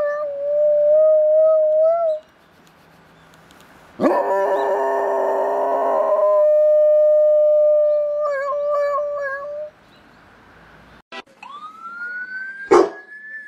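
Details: Domestic dog copying an ambulance siren with a series of sustained high howls, each held for two to three seconds with short silences between, the last rising sharply into a higher note.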